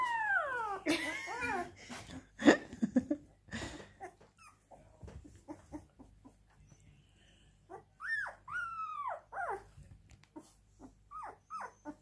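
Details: Siberian Husky crying with a burst of wavering, descending whine-howls at the start, then scattered short clicks and yelps, followed by a few sharp arching whines later and soft whimpers at the end.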